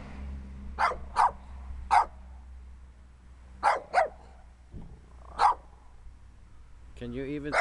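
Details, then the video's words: Small dirty dog in need of a bath barks in sharp single and paired yaps spaced about a second apart, over a low hum, with a person starting to speak at the end. "Little Dirty Barking Dog"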